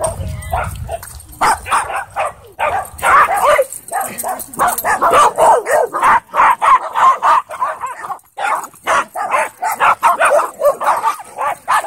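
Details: Wolfdog play fighting with a husky at a dog park, throwing and pinning it; dense, rough bursts of barks, yips and growly snarls come in rapid irregular runs, almost without pause.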